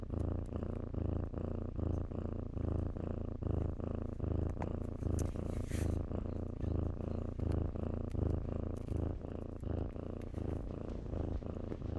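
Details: Low, rhythmic purring of kittens playing in blankets, pulsing with each breath across the whole stretch; a short burst of fabric rustle breaks in midway.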